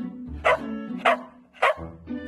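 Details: Border Collie arguing with its owner because it wants mineral water, giving three sharp barks about half a second apart over steady background music.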